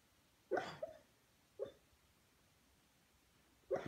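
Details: A dreaming Beagle, Junior, lets out soft, stifled woofs in his sleep: a doubled bark, a smaller single one a second later, then another near the end, with quiet between.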